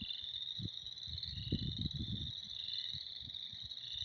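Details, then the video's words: A crowded frog chorus in spring: high, buzzy trilling that never stops and overlaps in layers. Low rumbling bursts cluster around the middle, with scattered thumps later. "Spring is here. Frogs are jerks."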